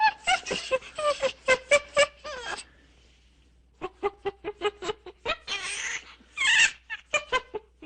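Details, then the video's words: Monkey chattering in quick, clicky bursts with short descending squeaks, a lull in the middle, then more rapid chirps and two harsh rasping calls over a low steady hum. "Monkeys sound / Звуки обезьянки"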